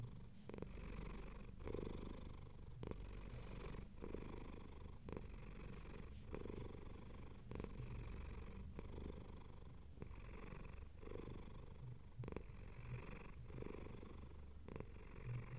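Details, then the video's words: Relaxed pet cat giving a long, even purr: low vibrating drone interrupted by regular breath breaks about every 1.1 seconds, alternating slightly between inhale and exhale phases. "Cat Purring"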